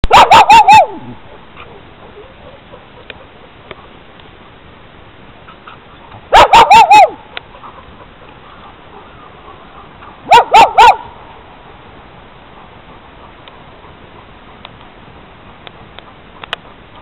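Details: Newfoundland dog at a dog daycare giving short bursts of loud barks, about three to four quick barks per burst, with bursts several seconds apart and a quiet room between.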